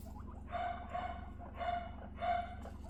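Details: During the bonding of three young female guinea pigs, named Rosin, Mandel and Latte, four short, squeaky, tonal bursts sound in quick succession over a steady low hum.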